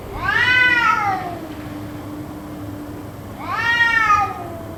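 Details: Cats crying endlessly, perhaps fighting, for about two hours: two rising-then-falling harmonic wails about three seconds apart, the second trailing off longer, with a low hum running throughout.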